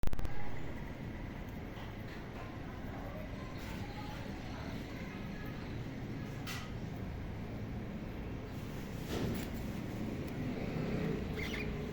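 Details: Steady low rumbling background noise with a few faint clicks and knocks, and no animal calls.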